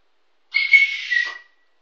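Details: A 15-week-old Kooikerhondje puppy calls after her owner, who has gone out the back door and left the backyard. She gives one thin, high whistled whine about a second long. It holds a steady pitch and sags slightly at the end.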